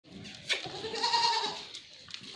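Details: Goat on a farm in Ajmer, Rajasthan, India, giving one long steady nasal bleat lasting about a second, with farmyard background noise.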